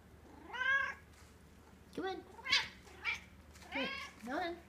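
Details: A talkative pet Egyptian Mau female cat indoors gives a string of about six meows over five seconds, bending up and down, some short and chirpy, others drawn out, while a woman coaxes her to come down.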